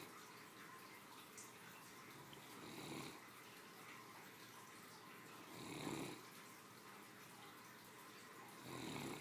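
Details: Sleeping after her midday lunch, a three-year-old female Great Dane snores softly, with three low breathy snores spaced about three seconds apart against a faint room hiss.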